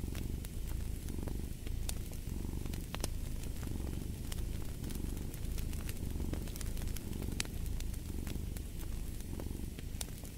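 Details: Steady, deep purr from a cat, its rumbling vibration rising and easing in regular breathing pulses, overlaid with a stream of small crackles and pops from a fireplace.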